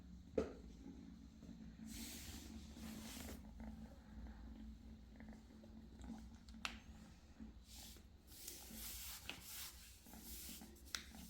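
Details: Indoor British Shorthair kittens: a continuous low, even purr runs underneath the whole stretch, broken by repeated bursts of rustling and scratching from handling and movement.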